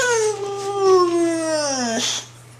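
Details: Dog making a funny noise: one long, clear whining howl that slides slowly downward in pitch and breaks off abruptly, followed by a short noisy burst.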